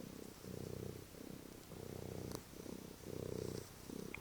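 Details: A pet cat purrs on the couch ahead of its dinner, a deep buzzing rumble repeating in roughly one-second swells as it breathes in and out, with a brief click and quiet indoor background.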